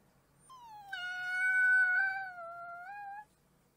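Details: A single wolf pup gives one sustained, clear howl lasting nearly three seconds. It starts slightly higher, settles to an even pitch and fades out smoothly.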